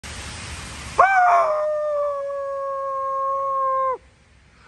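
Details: Coyote howl answering a person who howls at it: after a second of rushing noise, one long, steady, clear howl holds an even pitch for about three seconds, then cuts off into quiet.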